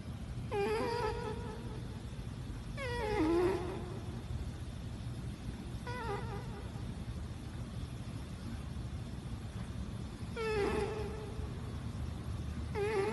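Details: Domestic cat snoring while asleep: squeaky, harmonic, slightly falling sounds in about five separate bursts spaced two to four seconds apart, over a faint steady low hum.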